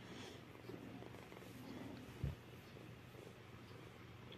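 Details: A domestic cat purring indoors, a low, steady rumble running through the whole stretch, with one brief soft thump near the middle.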